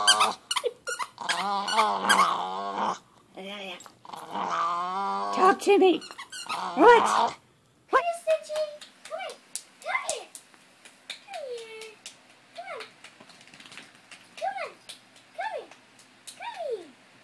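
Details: Chihuahua dressed in a costume, whimpering: after talk and music early on, a run of short, high, downward-sliding whines follows, spaced a second or two apart, some opening with a sharp yelp.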